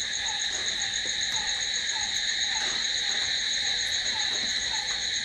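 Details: Night-time crickets keep up a steady, shrill, continuous buzz of overlapping trills. A softer, lower chirp recurs at uneven intervals underneath.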